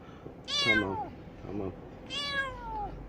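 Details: Kitten whose one eye had been fully closed, treated with regular eye drops and eye cream until it opened, crying: two long, loud, falling meows with a short quieter mew between, in a small room.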